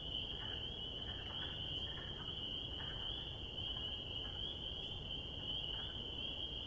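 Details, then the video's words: High, shrill chorus of spring peepers in spring, calls merging into a continuous piercing band, with scattered softer notes underneath and a low background rumble. "Peeper Sound Effects - Relaxing Sounds of Spring Peepers!"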